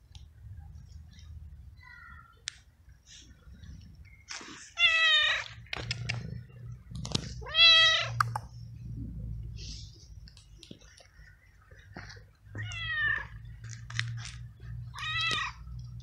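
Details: Feral little stray cat in a garden, cared for daily with treats and cuddles, meows loudly about four times over sixteen seconds. Each cry is rich and harmonic, rising then falling, with soft clicks and a low hum between.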